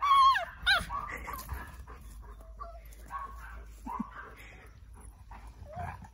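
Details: At the height of play excitement, male tricolour Cavalier Yoichi from Fukuoka, Japan, gives a loud, falling, cat-like whine, then a shorter rising one. Softer intermittent whimpers and faint household rustling follow.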